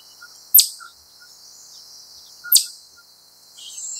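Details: A wild chipmunk gives sharp, high chips, one about every two seconds, over a steady high hiss; later it stands up and the calls gradually speed up.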